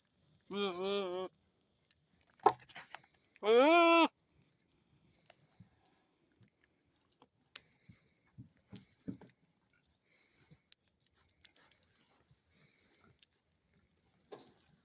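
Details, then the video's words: A billy goat gives two loud, nasal bleats, the second with a wavering tremble, followed by soft clicks. He habitually makes these odd noises, unlike the other goats. "Male goat makes funny noises"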